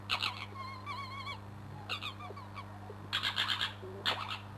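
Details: Crooked-Tail, a male fox, fighting beneath a bedroom window: wavering, warbling screams with stacked harmonics, then harsh broadband chattering bursts, all over a steady low electrical hum.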